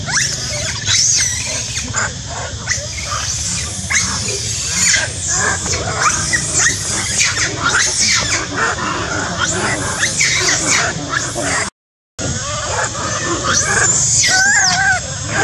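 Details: Monkey shouting and screaming loudly: a continuous run of harsh, noisy shrieks and squeals with rough bursts throughout, and a brief silent break near the end before the shrieking resumes.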